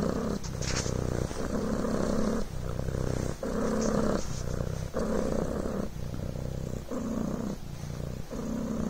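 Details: Rhythmic purring from Coco, a Devon Rex kitten: a low vibrating buzz alternating between stronger and weaker phases every second or so, with a couple of faint rustles.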